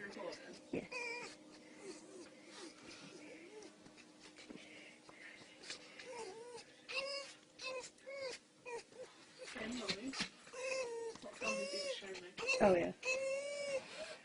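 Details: A young female fox kit being stroked makes a run of thin, wavering whines and chirps that bend up and down in pitch, some breaking into squeaky trills, while people talk and exclaim close by throughout.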